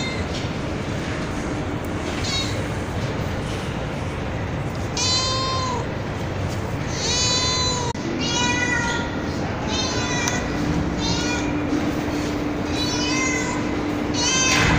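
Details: Street cat with kittens on a terrace in darkness, meowing repeatedly: drawn-out, slightly wavering meows, some short and some longer, coming in quick succession after a quieter start, over a constant background hiss.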